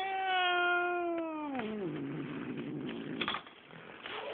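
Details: Angry pet cat, a big male, yowling in a cage right after being put in, awaiting a vet visit; a long harmonic wail held level then sliding down, followed by a rougher low growling moan indoors.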